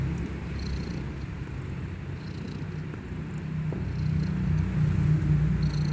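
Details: Big snores from a sleeping kitten: a low, regular, rattling drone pulsing roughly three times per second, growing louder in the second half.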